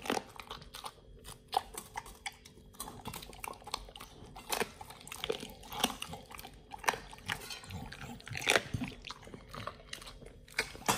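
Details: Nomyen, a Pit Bull, eating a raw feeding meal of beef shank steak, green tripe, chicken feet and quail egg; wet, irregular crunching bites and chewing with sharp cracks, close and indoors.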